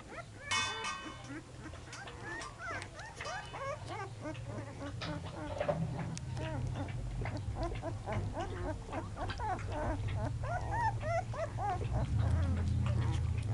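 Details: A litter of nine American Pit Bull Terrier puppies, born 24 January, in Monterrey, Nuevo León, Mexico, fills the air with dense overlapping squeaky whimpers and yelps, rising and falling rapidly, over a steady low hum.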